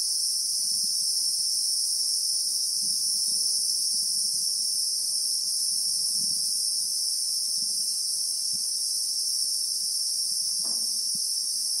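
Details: Steady shrill chorus of Christmas beetles (Anoplognathus) in the South African bush with acacias and sand, recorded in real time; the high, even buzz never pauses, and faint soft low thumps and a brief click sit underneath.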